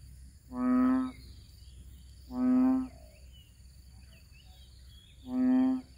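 A frog gives deep, steady, nasal croaks, each under a second long, spaced a few seconds apart.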